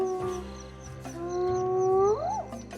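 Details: Hyenas that are fed nightly by a man, crying out strangely when they feel threatened, which warns him. A long flat tone swells and then sweeps upward into a high rising cry near the end.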